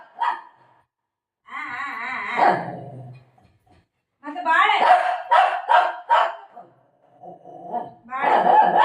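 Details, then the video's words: Golden retriever and shih tzu fighting over food: harmonic wavering growl-whines, then a run of sharp bark bursts near five to six seconds and a final loud burst, with a person talking between. "golden retriever and shih tzu fight"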